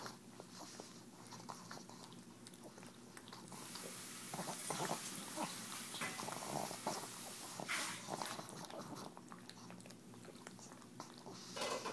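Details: Tumble, a pug, licking EZ Cheeze out of her KONG toy indoors: a dense run of wet smacking, slurping and clicking sounds, about three per second, with a louder snuffling burst near the middle.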